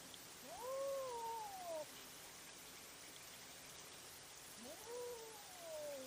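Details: Cats fighting at night, captured by a trail camera: two long drawn-out wails, each rising sharply then sliding slowly downward over about a second, separated by a pause, over a steady background hiss.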